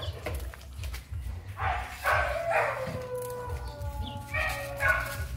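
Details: Breeding dog reacting on first sight of a female: several short, harsh yipping barks in bursts, mixed with thin drawn-out whining tones, over steady low background music.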